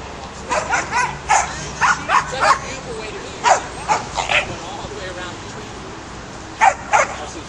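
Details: Young caramel-coloured Australian Shepherd herding sheep, giving a quick run of short, sharp barks, roughly ten in the first four and a half seconds, then a pause and two more barks near the end, over steady outdoor background noise.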